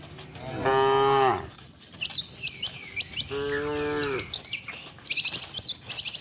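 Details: Docile cattle heading to the shed together with the herd, two long lowing moos about two seconds apart, each falling slightly at the end, while small birds chirp repeatedly in the background.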